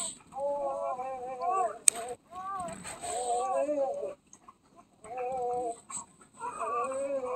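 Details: Nine-day-old mixed-breed puppy, Basset Hound, Great Pyrenees, Chihuahua and Dachshund mix, giving repeated thin wavering whines and squeals in bursts of a second or two separated by short pauses.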